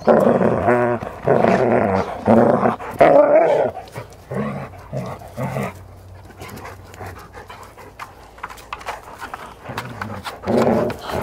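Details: Newfoundland dog seen through a fish-eye lens, with rough, throaty breathing bursts and a brief growl-like tone in the opening seconds, then quieter irregular puffs and a final burst near the end.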